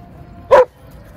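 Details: White Shepherd dog at a dog run in Japan, playing alongside a Border Collie friend: one short, sharp bark lasting well under a second, loud against a quiet outdoor background.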